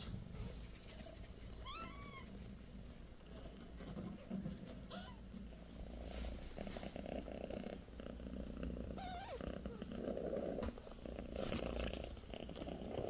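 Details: British Shorthair kittens sixteen days old, Bassy's litter of four: a deep, unbroken purr under several high, wavering kitten mews near the start and middle, with light rustling handling noises.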